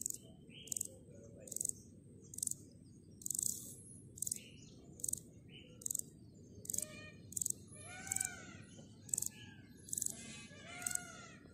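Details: Grasshoppers making repeated short dry rasping bursts high in pitch, spaced under a second apart, while birds chirp and trill in the background, becoming louder toward the end.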